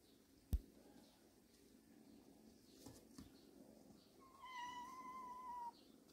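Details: Cat from a family of mother and kittens resting in a storage shed: one drawn-out, steady meow lasting about a second and a half, slightly falling at the end, preceded by a sharp knock and soft thuds in a quiet indoor space.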